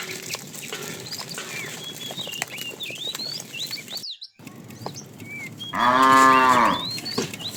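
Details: Afternoon herding of tame cows, a fat one calling the female: busy high bird chirping, a brief cut to silence, then one full-bodied lowing moo lasting about a second before birds resume.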